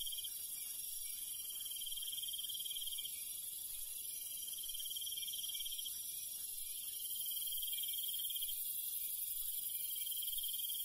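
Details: Crickets and other night insects of the countryside chirp steadily in a high, continuous shimmer.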